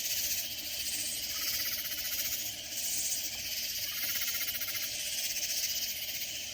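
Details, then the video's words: Katydid chorus in Hill Country near San Antonio, Texas: many loud insects produce a harsh, buzzy high drone with repeated swells about every second and a half, plus a faint ticking pulse. "Sounds of Loud Katydid Insects"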